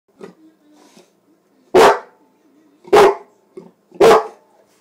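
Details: Female bullmastiff, 14 months old and weighing 90 pounds, barking for a treat: soft whines and low grumbles, then three loud, deep barks roughly one second apart.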